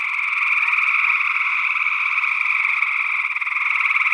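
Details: Gray tree frogs calling in Northwest Wisconsin in early June 2022, with a second unidentified frog species, possibly a spring peeper. Captured with paired small condenser microphones in ORTF stereo. A dense, continuous trilling chorus holds steady throughout.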